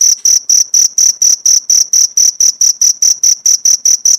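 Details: Cricket chirps used as training material for pleci white-eye birds. Bright, high, ringing pulses come in a fast, regular train, about four per second, with nothing else audible.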